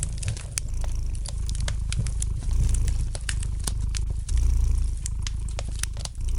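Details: Relaxed domestic cat purring next to a crackling fire: deep, even rumbling that rises and falls in long breaths, overlaid by frequent bright snaps and pops from the flames.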